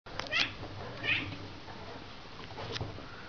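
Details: Two pet Bengal cats, Rudie and Rasta, playing indoors in their exercise wheel; two short, high, strained meows in quick succession near the start, followed by a low rumbling and scraping from the wheel.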